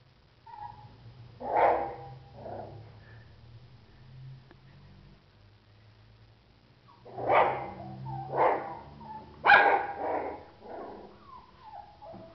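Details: Cocker Spaniel puppies: bursts of short yelping barks and yips around 1.5 seconds, then a cluster of sharper, louder barks from 7 to 10 seconds, with a low hum underneath.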